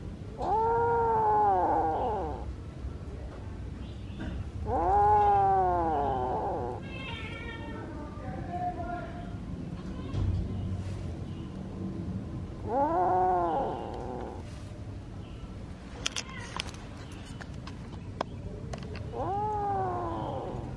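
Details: A kitten insistently appealing for something: four long, arching meows spaced several seconds apart, with quieter chirps and soft rustles and clicks between them.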